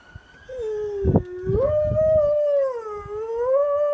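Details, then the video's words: Otto, a Dalmatian dog, howling: one long wavering tone that dips, climbs, sags and rises again over four seconds, with a faint siren and a few dull knocks underneath. "Otto the howling Dalmatian"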